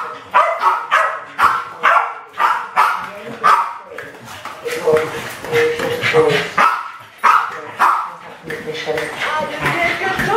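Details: Alfie and Crystal, two Westies aged about 7 and 8, go after balloons in a kitchen in 2012. Evenly spaced sharp barks come roughly twice a second, with rapid yapping in the middle.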